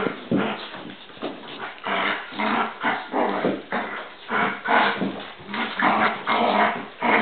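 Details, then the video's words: Bowser and Canela, two dogs, fighting: continuous rough growls rise and fall in loud surges about every half second, mixed with snarls and brief whimpering yips. "Bowser and Canela Fighting"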